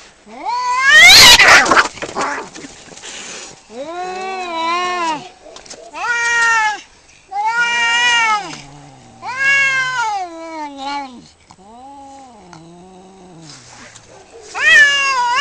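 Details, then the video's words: Two male cats fighting over territory outside a home, trading long wavering yowls that rise and fall in pitch, repeated in bursts about every two seconds, opening with a harsh loud scream. "Two cats fighting and making wierd noises"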